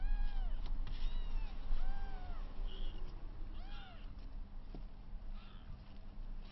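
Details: Rescued kittens aged 22 days during their first play-wrestling and first cat kick, one heavier kitten pouncing on two smaller siblings. High, bowed mewing cries follow one another quickly, some rising and falling, others short, with background hum and rustling.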